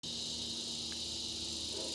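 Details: A dense cicada chorus in a mulberry tree at sunset, about 8:06 pm in August 2020 in Broken Arrow, Oklahoma, makes a steady, high, hissing drone that never pauses.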